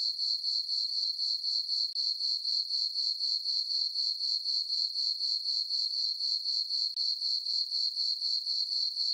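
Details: A nighttime summer chorus of crickets in a farm meadow beneath a full moon: thin, piercing chirps repeated about four times each second in a steady, metronomic rhythm, otherwise quiet.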